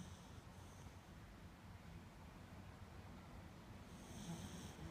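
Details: A sleeping beagle snores in low, rumbling breaths that run steadily through the whole stretch, with a faint hiss rising near the end.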